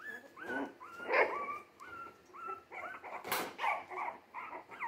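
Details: Jack Russell Terrier mix pups at three weeks old, born 17 December 2020, give a string of thin whines that rise and then fall, about two per second, mixed with a few sharper yelps and squeaks.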